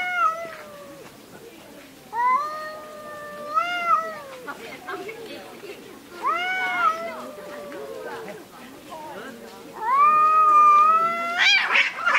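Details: Screaming cats during a fight: a run of wavering, moaning yowls, some rising and some falling, coming every second or two, getting louder and harsher toward the end.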